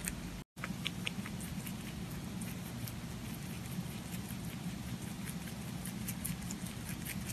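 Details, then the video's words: Pet rabbit eating, recorded close up: dense crunchy chewing clicks scattered throughout over a steady low rumble, with a brief silent gap near the start. "ぽんたんうさぎの色々な咀嚼音｜Eating sounds of Pontan Rabbit"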